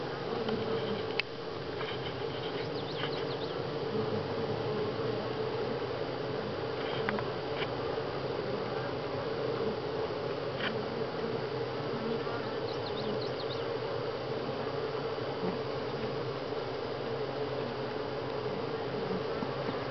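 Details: Honey bees at Grass Lake Sanctuary in July, week six, a steady dense hum of many bees with a strong low drone, occasional faint clicks and ticks over the continuous buzzing throughout.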